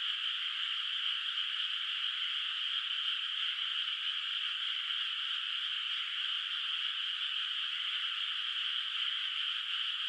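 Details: Distant frogs calling at night across a moonlit countryside rice field, its water not yet planted with rice; a dense, steady chorus blends into an unbroken high hiss with no single croak standing out and no other sounds.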